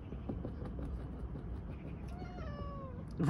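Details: Siberian cat meowing while trying to escape from inside a tire, a drawn-out, falling meow late in the clip over low rumbling background noise, with a sharp sound at the very end.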